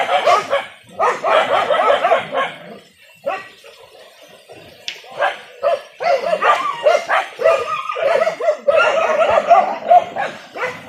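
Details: Village dogs barking while hunting wild boar in Indonesia, a traditional hunt with dogs and spears; dense overlapping yelps and barks in bursts, briefly pausing near three seconds before resuming, with some human voices.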